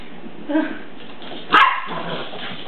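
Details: A dog barks while a little puppy meets his big cousin: a softer short vocal sound, then a single sharp, loud bark about a second later, over a steady background hiss.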